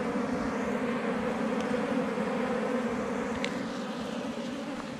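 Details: Wild forest honey bees swarming around a hive under rocks during a honey hunt: a continuous low buzzing drone, fairly even in tone, fading slightly toward the end, with scattered faint taps.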